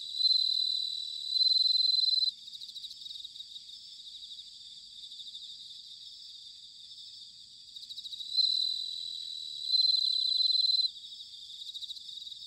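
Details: Bell crickets in an autumn night chorus at Sanuki, Chiba, Japan: loud clear ringing phrases opening and closing the recording, pulsing rapidly, with a quieter steady insect trill filling the gap between them.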